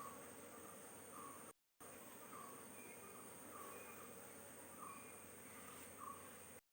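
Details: Honey bees humming at the hive while queen cells are checked on the combs, a steady diffuse drone with faint low harmonics, brief short chirps repeating above, and a sudden silent break near the start.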